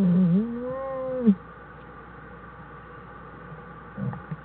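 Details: Black bear cubs with their mother inside a winter den, January 1, 2013; a single harmonic whining cry, dipping then holding level for about a second, followed by quiet and a soft low grunt.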